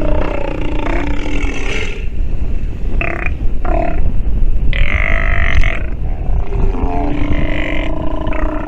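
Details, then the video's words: Sea lion pup vocalizing while nursing: harsh, harmonic bleating calls in short bursts near three, four and five seconds, the longest about a second, over a constant deep rumbling background noise. "Sea Lion pup has listened and learned while nursing"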